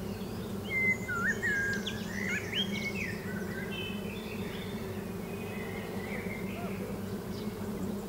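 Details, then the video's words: {'caption': 'Bees at Lavandula lavender farm in Victoria, Australia, on a summer dusk at 7.20pm and 28°C: a steady, low droning hum runs throughout, while birds sing sunset songs above it in whistled, sliding and chirping phrases, busiest early on.'} "Listen to the bees buzzing"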